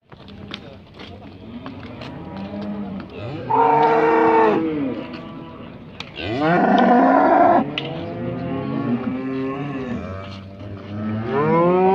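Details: Heifers of about 18 months being judged in a show section at Montluçon, 2020; loud drawn-out moos with rising and falling pitch, two long strong calls and several quieter overlapping moos from other cattle, with faint clicks and crowd background.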